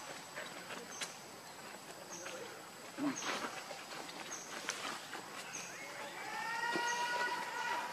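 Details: Baby monkey Lucie, hungry and crying pitifully for milk while foaming at the mouth; a sustained wavering harmonic wail swells over the last two seconds after rustling and scattered clicks.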